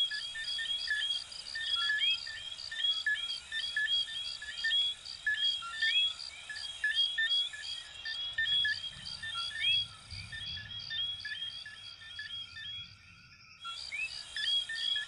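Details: Chorus of coquí frogs from Venezuela and Puerto Rico: many overlapping short whistled notes and quick rising sweeps, layered and steady, with a brief drop in the upper calls near the end and a soft low rumble underneath.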